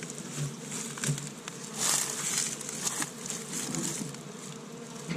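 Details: Spring honey bees active around an established hive in Michigan on the first warm day, collecting pollen from tree buds; a continuous humming drone with brief louder passes and light patter-like ticks.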